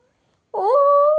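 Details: Pet cat indoors giving one clear meow that bends upward, then holds as a steady, drawn-out tone for about half a second. It comes between a woman's remarks in Bengali about a closed door.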